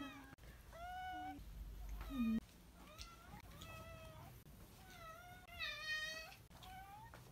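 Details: Tybalt, a pet cat, meowing to welcome someone home, one of many such greetings gathered over four months; about six long wavering meows follow each other closely, with a few lower short sounds in between.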